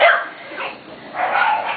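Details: Almost seven-week-old Corgi puppies from two litters bark and yip, reacting to a running weed eater; a sharp yip opens, then a fuller burst of overlapping barks follows.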